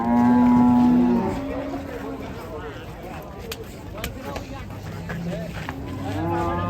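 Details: Raging cattle that ran into a passenger car: one loud, steady, harmonic moo lasting about a second, then a murmur of lower voices and scattered knocks.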